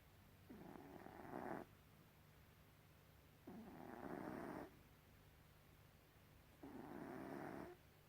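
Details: Gribouille, a pet cat, snoring indoors: three long, raspy breaths about three seconds apart, each lasting roughly a second, with a low steady hum underneath and a quiet room otherwise.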